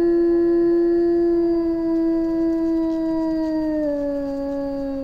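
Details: Eurasian wolf pack in Finnish taiga giving a long, steady howl held on one pitch, gently dropping lower near the end, rich in harmonics.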